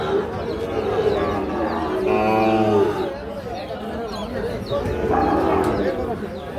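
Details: Sahiwal bull calves at Ambari cattle market in Parbatipur, Dinajpur, Bangladesh: a harmonic moo of about a second rises out of busy crowd chatter and bargaining voices, with a fainter lowing later.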